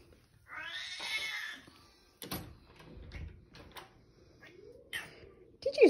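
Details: A grumpy 15-year-old Siamese cat begs for leftover tuna with a loud, drawn-out, raspy meow, with a person talking.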